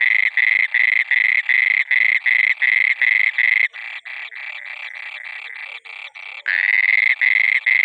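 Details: Frog calling at night with loud rasping croaks in quick succession, a stretch of quieter clipped notes in the middle, then a longer drawn croak and a return to the strong rhythm.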